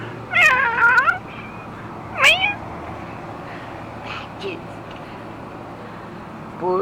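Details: Domestic cats meowing while birds are fed: a long wavering meow, then a shorter rising meow, a faint call mid-clip and another starting at the end, with a constant low hum underneath.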